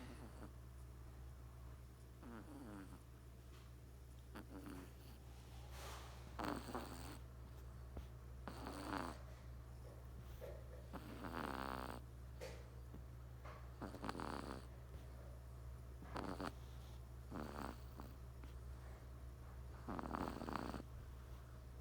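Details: Three-month-old Persian kitten snoring in its sleep; soft rasping breath bursts every two to three seconds over a steady low electrical hum.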